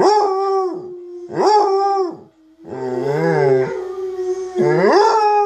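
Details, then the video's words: Munson the basset hound howls along to online basset hound howling: two scooping howls, then a long wavering, quavering cry and another rising howl, all resting on a steady underlying tone. "Munson our basset hound howling"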